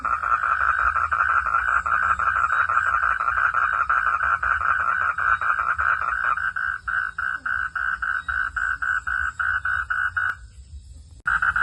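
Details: Frog calling at night. Dense pulsed notes thin after about six seconds into clearly separated, repeated mid-pitched beats, then break off in a short pause before resuming.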